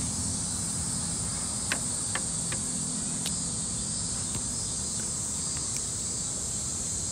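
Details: Cicadas in a Tokyo park in summer, Japan: an unbroken, shrill, high-pitched drone holding steady throughout, over a low background rumble, with a few faint sharp clicks scattered through the recording.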